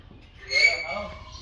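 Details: Asian elephants, two of them teasing each other, lying rump to rump and playing, calling through the night; a single high, thin tonal squeak swells and fades over about half a second, with faint voices underneath.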